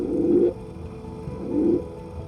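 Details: Male Hawaiian monk seal vocalizing underwater right in front of a scuba diver, drawing air from his lungs into his throat and exhaling bubbles afterwards; two short, low, groaning pulses about a second apart over a faint steady musical hum.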